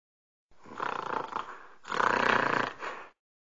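Two rasping, noisy snorts from an orangutan follow one another closely, the second louder and fuller than the first. Each blast sounds gravelly and breathy, with no other sounds around them.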